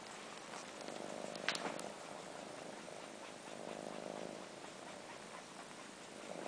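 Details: Indoors, four-month-old kittens that miss their mother suck on long fur as if nursing; faint rhythmic purring rises and falls in gentle waves, with quiet slurpy sucking noises and a brief louder click near the start.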